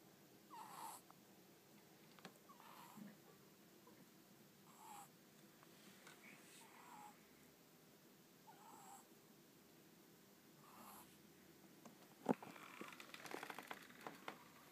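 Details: Pet ferret Ten-chan sound asleep at home with eyes half open and tongue flicking, snoring softly: faint breathy rasps return about every two seconds over a quiet room hum, then a brief rustle near the end.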